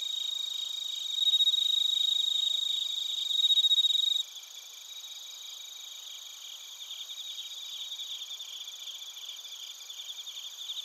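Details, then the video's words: Bell crickets and crickets sing in Narita, Chiba Prefecture, Japan, on a TASCAM Portacapture X8 recorder. A loud, bright sustained trill dominates the first four seconds, then gives way to a softer wash of quick, pulsing chirps. "スズムシとコオロギの鳴き声 - Chirping of crickets"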